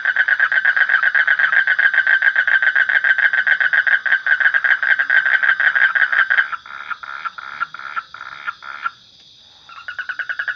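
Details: Long rapid pulsed trill from a frog, steady for about six seconds, then dropping into slower, broken bursts of notes with a brief silent gap before the fast rattle resumes.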